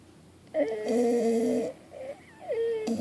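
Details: Sleeping Pit Bull giving wheezy, whistling snores: one steady drawn-out tone lasting over a second, then a short gap and a second shorter snore beginning with a sliding pitch.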